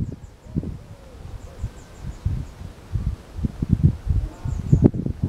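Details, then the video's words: After a meal of hedgehog food on the morning of Saturday 3 June 2023, a little hedgehog laps water from a drinking bowl: dull, uneven low splashy taps about once a second, faint high bird chirps in the distance. "egeltje met dorst na eten"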